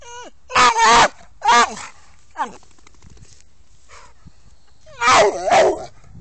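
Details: American Staffordshire Terrier giving high, wavering whines and yelps in several bursts of about half a second, with short pauses and quieter whimpers between them.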